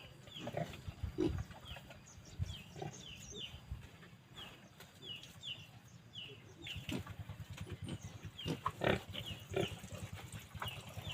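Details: Low, quiet grunts and snorts from kept Phu Phan wild boar in Kham Muang district, Kalasin, Thailand, spread through the recording. Repeated small bird chirps and a constant high hum fill the background.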